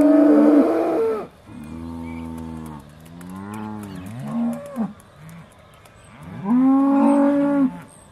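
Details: Aussie Red cows in a dairy herd at Beaulands, December 2012, calling before milking; a loud opening moo, softer lower lowing in the middle, then another strong rising-falling moo near the end.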